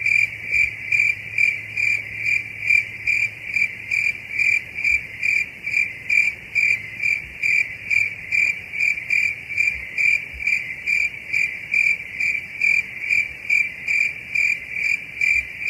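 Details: A cricket calls in a continuous high chirping train, evenly pulsed roughly once per second throughout, with a faint low rumble and a few soft thumps early on.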